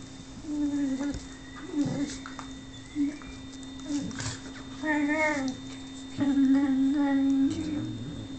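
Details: Lux, a Whippet, whimpers for the affection of Sophia, who plays hard to get: wavering, high-pitched whines in short bursts, rising and falling, the longest near the end. A steady low hum runs beneath.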